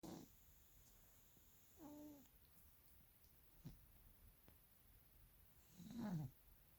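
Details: Maine Coon cat snoring while asleep and dreaming: soft, low breathy snores, one with a faint wavering tonal whine near two seconds, then a louder rasping breath near six seconds, over a quiet indoor hush.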